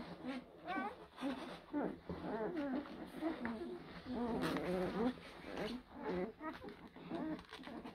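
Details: Litter of blue Great Dane puppies, born April 2023 at Kennel Hradecká hvězda, squealing and whining in short rising and falling yelps that overlap continuously over eight seconds, with soft shuffling noises between calls.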